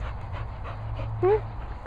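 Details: Panting from Fin and Murphy, Cocker Spaniels at a Worcestershire countryside training kennels: soft regular breathy puffs, then a short upward-bending whine, with a voice calling encouragement.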